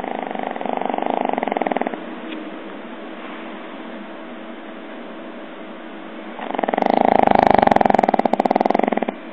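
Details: Pug snoring indoors: rough, rattling pulsed breaths in a fast steady rhythm, a burst in the first two seconds, quieter breathing, then a louder raspy snore toward the end.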